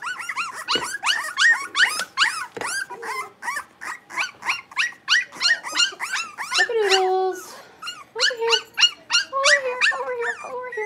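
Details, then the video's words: Rapid squeaky barking from playing blenheim Cavalier King Charles Spaniel puppies, five littermates in an indoor pen; shrill yaps tumble over each other about three a second, with a longer lower whine midway and more yelps after it. "Cavalier Puppies Livestream: Playing, Barking, and Learning"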